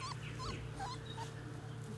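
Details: Basset Hound puppies outside for the first time give a quick run of short, high, wavering whimpers and squeals, some with a bending, warbling pitch, over a steady low outdoor hum.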